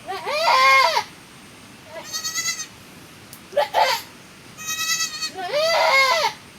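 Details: Goat that has just given birth again during the rainy season, bleating in a farm setting: loud wavering bleats, a long one at the start and another at the end, with softer shorter bleats between, some possibly from young.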